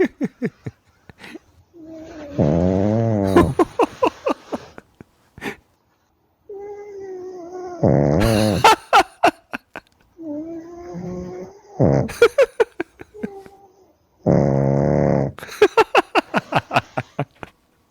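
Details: Sleeping pug snoring: several low, rough, buzzing breaths of about a second each, spaced through the clip, between quieter wheezy sounds and sharp clicking pulses.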